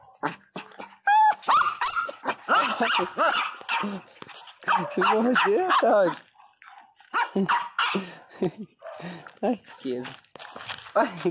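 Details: Pinscher dog crying loudly: a run of shrill, high yelping whines with bent, wavering pitch, bursting in quick irregular series with short pauses, over a woman talking in Portuguese.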